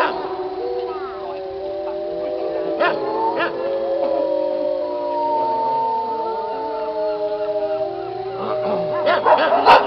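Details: A wolf pack howls together, long sustained tones overlapping and sliding at different pitches.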